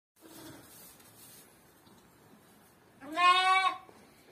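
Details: Sheep giving a single wavering, nasal bleat lasting under a second, rich in overtones, following a stretch of faint background rustle.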